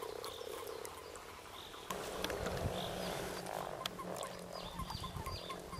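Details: Frogs calling in mating season at Kassinurme, 25 April 2011, a dense murmur of grunting croaks that grows louder after two seconds, joined by a low steady hum, clicks and thin high bird calls.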